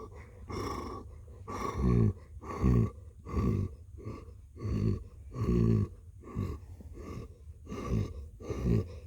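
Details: Blue the cat purrs in a rhythmic low rumble, pulsing louder roughly every three-quarters of a second in time with breathing, steady throughout in a quiet indoor space.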